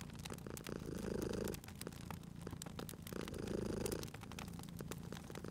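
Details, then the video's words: Cozy fireside scene with a sleeping cat purring; two rounded swells of deep, buzzing purr rise and fall, each lasting about a second, while the fire keeps up sharp crackling clicks throughout. "Cute Purring Cat at a Crackling Fireplace"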